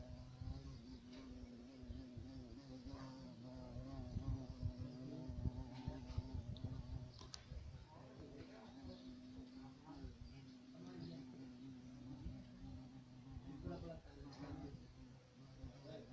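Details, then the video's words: Violet carpenter bee (Xylocopa violacea), called black bumblebee, giving a steady low droning buzz with a stack of harmonics that wavers slightly in pitch throughout, over a faint rumbling background. "Abejorro negro"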